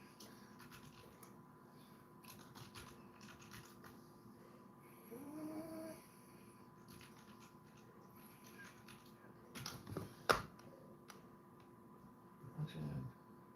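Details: Basset Hound named Handsome Jack relaxing indoors on a Sunday, breathing in soft, low snoring rumbles with faint tonal bits around the middle and near the end, broken by a few sharp knocks and rustles in a quiet room.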